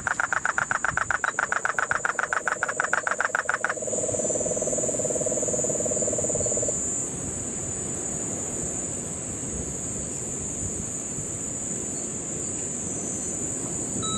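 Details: Puerto Rican crested toad, rainy September 2007 in Guánica Dry Forest, Puerto Rico, gives loud rapid rattling pulses for nearly four seconds; a cane toad's low trill continues briefly, then only insect hum and rain-forest background remain.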